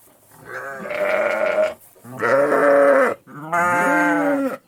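A sheep bleats three times, each a long wavering baa with rich harmonics.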